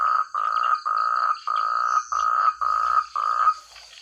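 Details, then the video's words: Frogs calling in rice fields in the countryside: loud, clear, harsh pulsed croaks, each about half a second long, given in a steady series, with a thin constant high insect drone behind. "Suara katak terbaik,rame ,keras dsn jernih"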